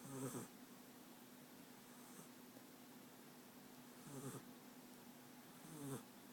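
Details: American Staffordshire Terrier puppy France from Rostov-on-Don sleeping; three soft, low snores with long quiet gaps, the middle ones faint and breathy.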